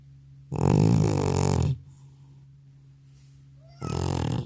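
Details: Elderly house cat knocked out asleep after a trip to the animal hospital gives a loud, rough snore lasting over a second, then a quiet gap before the next harsh breath begins near the end; low steady room hum underneath.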